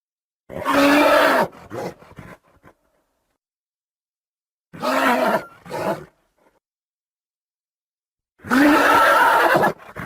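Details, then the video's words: Horse whinnies three times, roughly every four seconds. Each loud call carries a steady tonal band under rough harmonics and trails off in softer snorting breaths. "Som Do Cavalo | Cavalo Relinchando | Relincho De Cavalos"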